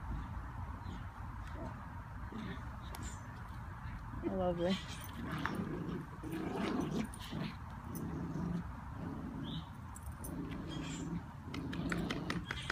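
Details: Schnauzer, Luna among the dogs at home, playing tug of war over a toy after being offered a treat; a series of drawn-out harmonic growls from about four seconds on, several in a row, with a person talking throughout.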